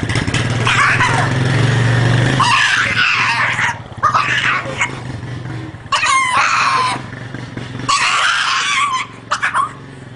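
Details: Dog crying in drawn-out, wavering whines with strong harmonics, several long bursts separated by short pauses, over a steady low engine-like hum.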